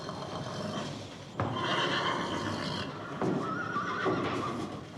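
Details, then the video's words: Horse neighing: after a quiet opening, a sharp knock leads into a long, loud, quavering whinny of about a second and a half, followed by a second sustained, wavering neigh, with faint background noise throughout. "Horse neighing sounds"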